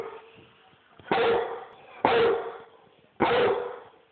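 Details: Loud barking from a Rhodesian Ridgeback: three deep, explosive barks spaced about one second apart, each falling away into a short echo, in a quiet indoor setting.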